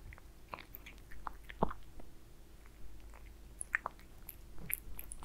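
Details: Aliska the cat eating beef wet food indoors; softer, sparser chewing clicks and occasional sharp bites spaced unevenly, under a low continuous hum.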